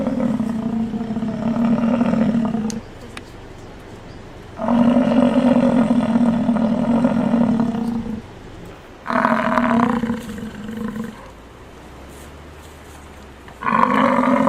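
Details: A male American bison gives long, deep, droning roars, each held for a few seconds with short pauses between.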